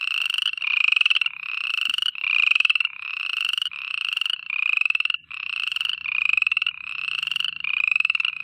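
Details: Frogs calling at night: fast pulsed, buzzy trills, each under a second long, repeated almost without pause in a steady chorus, with no other sounds.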